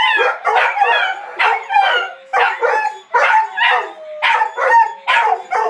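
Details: Four dogs howling together as a quartet, overlapping wavering tones and sliding wails mixed with short yips, rising and falling in pulses about every second.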